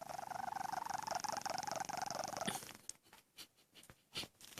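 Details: A sleeping domestic cat named Tommy snoring, with a buzzy, rapidly fluttering breath lasting about two and a half seconds, followed by softer irregular breathing noises in a quiet room.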